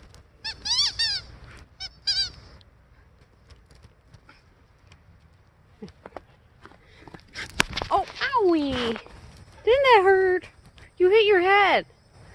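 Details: Aurora, a Siberian Husky, out in a snowy blizzard pleading for playtime: brief yips at first, then after a quiet stretch a series of long, drawn-out whining howls that slide downward, with a human voice faintly in between.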